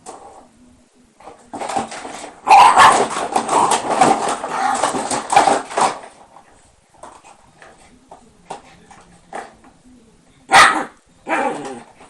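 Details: Mischievous Shiba Inu, fenced in behind lattice bars, whimpers softly, then breaks into a dense few seconds of rapid barking and yelping, followed by scattered single barks indoors.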